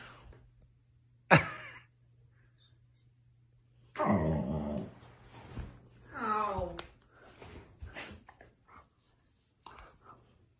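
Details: Siberian Husky howling indoors in a small room: two drawn-out, wavering, harmonic vocal bursts of about a second each, the second bending upward, after a sharp click, with short yips and scuffs following and quiet gaps between.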